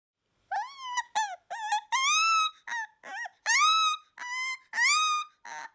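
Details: Akita puppy, a breed designated a national natural monument of Japan, giving a run of high whines and squeaky yelps, each rising then falling, some drawn out into longer plaintive cries, with short gaps between calls.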